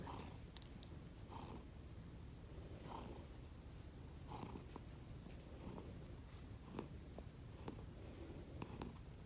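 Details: Snoring from a pair of sleeping pet cats, Konbu and Myun, rescued and raised from kittenhood, heard indoors as muffled rhythmic breaths spaced about every one and a half seconds over a constant low background rumble.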